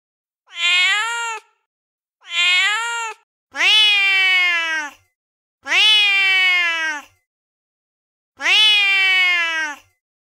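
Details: Female cat in heat mate calling: two shorter rising meows followed by three longer, drawn-out wavering yowls of about one and a half seconds, irregularly spaced, in a quiet setting.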